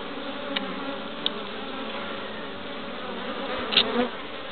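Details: Honey bees (Apis mellifera) active at their hive entrance in Pembrokeshire, west Wales, 11 March 2012, bringing in pollen; steady hum of many wings, a few short high clicks, and a louder bee zipping close near the end.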